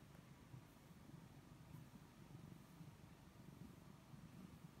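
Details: Snookie, a pet cat, purring while being petted: a soft, steady low rumble pulsing continuously throughout, with faint room hum and no other sounds.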